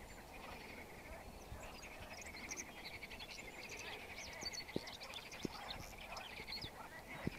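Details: Lake frogs in full chorus, many overlapping rattling croaks forming a constant mid-pitched band, with scattered higher chirps above and occasional sharp taps.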